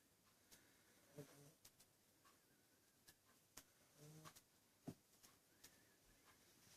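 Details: Shah, a sleeping domestic cat, snoring loudly enough to wake someone; two low, rumbling snore breaths roughly three seconds apart over a faint, quiet indoor background with scattered soft clicks.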